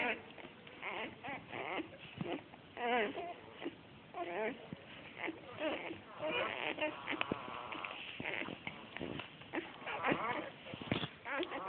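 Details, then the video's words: Seven young Australian Shepherd puppies, born 12 August 2010, in red tri, black tri and blue merle colours, make softer scattered whimpers and squeaky cries, several overlapping, with short rising and falling notes and a few sharper yelps. "Australian Shepherd Puppies makes cute sounds"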